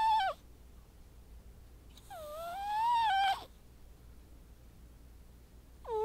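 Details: Sleeping white house cat, a frequent snorer, giving a long nasal whistle that rises and wobbles over about a second, framed by shorter whistled breath sounds at the start and end of a calm indoor scene.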